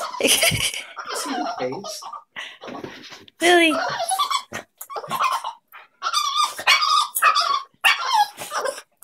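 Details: Pet dog whose voice sounds like a dolphin: a run of high, squeaky, harmonic whines and short yips, some rising and wavering, in uneven bursts, with people talking over and between the calls indoors.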